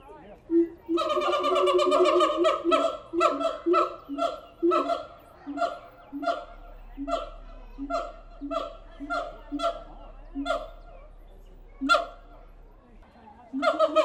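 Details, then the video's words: Zoo-kept siamang apes at the Tulsa Zoo: a loud, overlapping burst of ringing calls, then a run of quick repeated barking hoots that slow and fade, with a last loud hoot. "Siamang apes making noise at the Tulsa Zoo"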